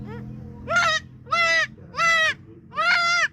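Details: Goat bleating: four loud, tonal, wavering bleats, each about half a second long, repeated roughly every 0.7 seconds, with a quieter lower call at the start.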